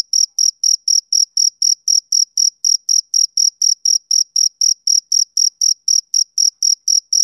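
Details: Male cricket chirping on a summer evening: steady, high-pitched chirps about four per second, each a short bright pulse, in an otherwise silent background.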